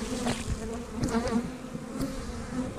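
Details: Honey bees in an opened three-box eight-frame hive, March 10th, somewhat defensive: constant deep hum layered with brief brighter whines of bees passing close, plus occasional light taps.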